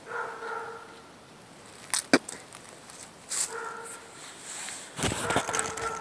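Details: Domestic dog barking in the background behind a person, giving short tonal barks in separate bouts near the start, middle and end, over steady broadband noise with a few sharp clicks and knocks.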